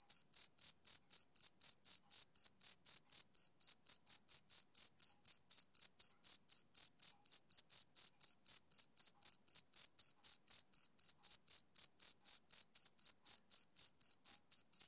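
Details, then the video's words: Male cricket chirping on a summer evening: a steady stream of short, shrill, high-pitched pulses, about four per second, sustained evenly throughout with no other sounds. "Cricket Chirping"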